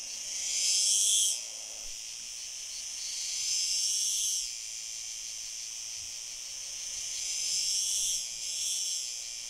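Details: An unidentified male cicada, singing near a female in possible courtship, on 9 July 2022 at Fondón, Andalucía, Spain, gives high, harsh buzzing phrases that swell and fade every few seconds.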